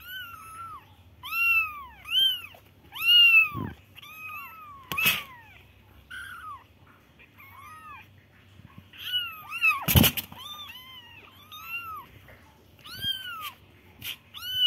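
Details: Several baby kittens cry in a steady series of high, bowed mews, some overlapping, broken by a couple of sharp knocks or bumps.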